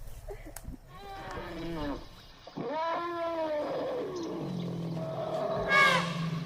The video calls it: BABY ELEPHANT SOUND EFFECT